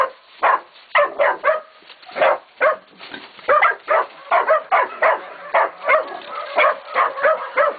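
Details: Catahoula and Black Mouth Cur pups, 16, 11 and 14 weeks old, baying a pig at a kennel: a rapid string of about twenty loud, sharp barks, several overlapping voices.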